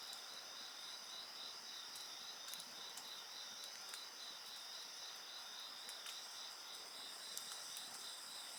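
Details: Several insects keep up a shrill, unbroken chorus, one voice pulsing in quick regular beats under a thin high ringing tone. A bonfire pops and crackles now and then.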